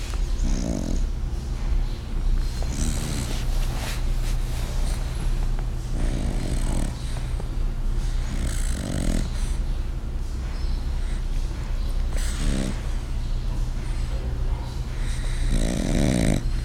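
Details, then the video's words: French bulldog snoring, which grows louder over time: rasping, breathy snores roughly every three seconds, some long and drawn out, over a steady low electrical hum. "French bulldog 法國鬥牛犬 鬱卒 打呼越來越大聲了"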